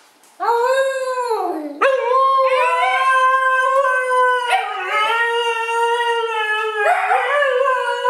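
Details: Siberian husky howling at length: a low rising start, then long sustained wavering tones that dip and lift again in several drawn-out phrases, rich and harmonic throughout, with no other sounds.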